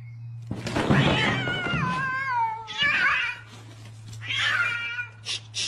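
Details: Alley cats fighting: drawn-out wailing yowls with bending, wavering pitch, three long howls in a row followed by two short high bursts, steady low hum underneath.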